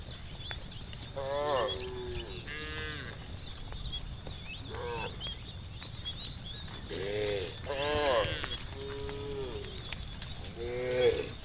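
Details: A herd of tame cows, described as angry, moving toward muddy rice fields, makes many short overlapping moos from several animals, bursts spread across the recording, with a steady high insect hiss throughout.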